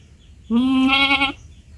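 A young goat gives a single high, nasal bleat lasting nearly a second.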